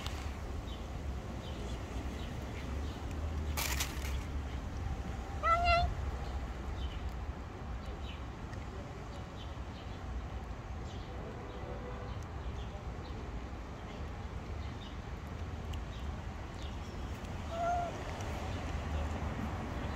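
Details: Street-dwelling stray cat lets out one clear, bending meow, then much later a fainter second one; a sharp knock comes just before the first, and a low, constant outdoor rumble runs underneath.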